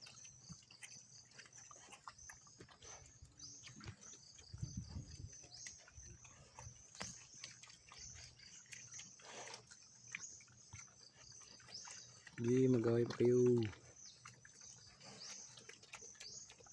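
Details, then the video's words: Free-roaming, untethered native pigs in a rural province near Claveria, Burias Island, squabbling while eating: quiet stretch with faint rustles and a steady high insect hum, then a loud, harmonic double squeal near the end. "Native Pig Namin sa Probinsya"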